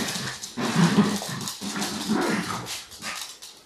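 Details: Dachshund family members Honey and MJ: a dachshund's throaty growling in two rough bursts with short bark-like edges, while a person speaks nearby.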